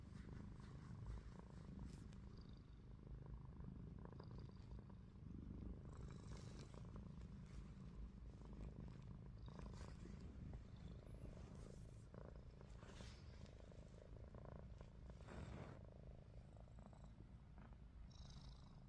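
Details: Ruby, a pet cat, snoring with her eyes open while resting; a steady low rumbling drone runs through the whole recording, with faint soft clicks and rustles above it.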